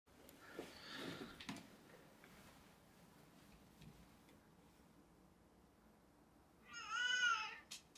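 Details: Capri, a pet cat, greets her owner coming home with a single clear, harmonic meow near the end, preceded by faint indoor rustling and a few soft clicks.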